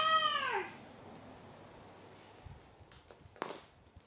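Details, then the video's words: Maru the pet cat gives one short, falling meow at the start, then near silence broken by faint clicks and soft indoor rustles. "鳴くねこ４。 Meow Meow Maru 4"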